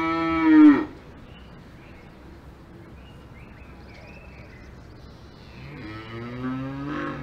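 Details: Cows on a farm in the Alps: a loud harmonic moo falling in pitch ends within the first second, a quiet stretch with faint higher calls follows, then a second long, rich moo rises near the close.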